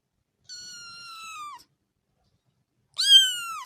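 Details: Kitten playing with its mother gives two high, thin meows: the first a long, steady mew, the second louder and clearer, each falling at the end, with silence between them.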